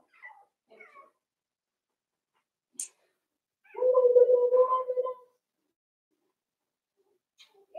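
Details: Four-week-old Cavalier King Charles Spaniel puppies from Daisy's litter in their indoor pen: a few soft, brief squeaks, then one loud, drawn-out wavering cry lasting about a second and a half, with a sharp click and quiet room between.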